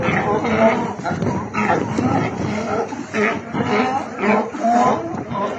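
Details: Sea lions on Isla Alcatraz in Bahía de Kino, Sonora, Mexico, give hoarse, harmonic barks in uneven bursts about once a second, with overlapping calls from several animals.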